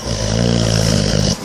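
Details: Awake Boxer dog giving a loud, steady snore: a deep droning rasp with fine rapid pulsing, held for over a second before stopping abruptly.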